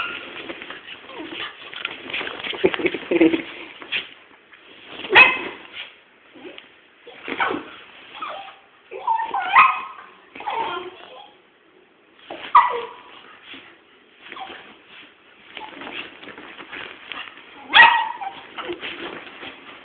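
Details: Two pet dogs, one little and one big, play fighting indoors; bursts of growling, whimpering yips and short barks come in clusters every couple of seconds, with quieter scuffling between and some human voices.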